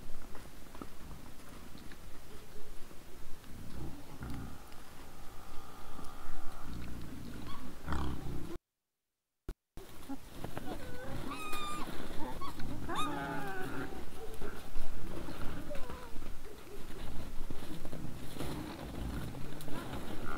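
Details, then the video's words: Wild boars in front of a trail camera on 17 December 2022 at 20:17 in the evening: a steady stream of low, rough grunting and snuffling, with a few short, higher squeals in the second half after a brief gap. "Nice sounds of the Wild boars"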